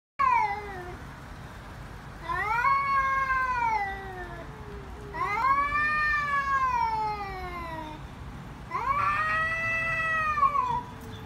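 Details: Fighting cats screaming loudly: three long wailing yowls, each rising then falling, with rich harmonics, separated by brief pauses over a low steady background hum.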